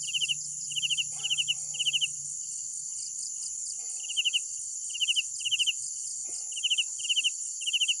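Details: Crickets calling at night: trilled chirps of several quick pulses, coming in irregular pairs and groups, above a continuous shrill background chorus, with a low rumble early on and scattered faint knocks.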